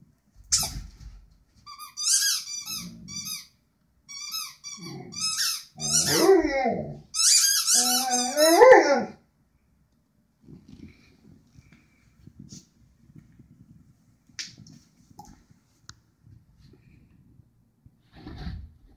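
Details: Rhodesian Ridgeback singing indoors: a run of high squeaky yelps and whines, then longer wavering howl-like tones sliding up and down, falling silent after about nine seconds with only faint rustles and a last short squeak.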